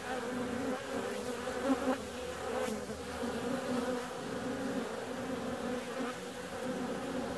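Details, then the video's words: A constant drone of bees out flying on a warm February day, two stacked humming tones holding level throughout, with a brief louder pass near the second mark and a faint click just after. "Bee's out on a warm February day."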